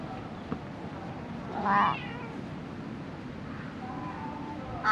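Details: Stray cat living amid illegally dumped garbage, recorded on a GoPro HERO8 Black: one short, wavering meow near the two-second mark and another beginning right at the end, over steady low background hiss.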